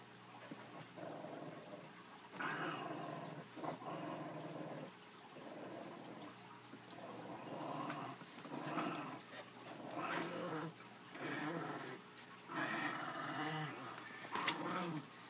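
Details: Puppies at play indoors, growling in low rumbling bursts with yips and whimpers, repeated roughly every second or two, a person speaking softly nearby.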